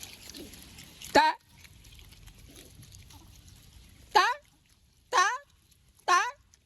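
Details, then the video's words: Otter voicing a sequence of loud, harmonic squealing chirps, each a short bent note sweeping up and then down, the first alone and then three more about a second apart, with faint low rumble and hiss between them. "Why Do Otters Make Weird Noises?"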